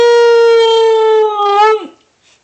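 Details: Tala, a six-month-old Siberian Husky puppy that loves to talk, gives a long steady howl-like vocal to its owner, held level for nearly two seconds with rich harmonics, then wavering and dropping away abruptly indoors.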